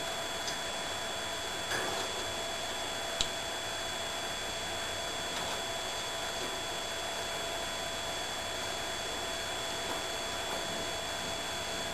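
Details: Steady mechanical hum and hiss with a few faint ticks and clicks; no animal voice is heard. A constant high electronic whine runs underneath throughout.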